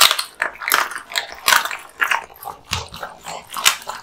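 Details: American Bully male Kotetsu chewing raw meat and bones in a small room, steady loud crunches roughly twice a second, crisp bone cracks over wet smacking.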